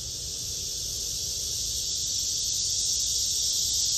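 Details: Black cicada, from a look at male and female insects: a loud continuous buzzing hiss, high and unbroken, swelling slightly toward the end.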